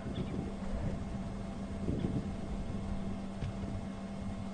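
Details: Low rumbling vehicle engine and wind noise during a sunrise safari drive, with no animal sounds heard.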